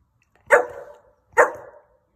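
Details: Saint Bernard that seems to talk, giving two drawn-out, moaning woofs about a second apart, each starting loud and trailing off in a wavering, voice-like tone, with its owner speaking affectionately to it.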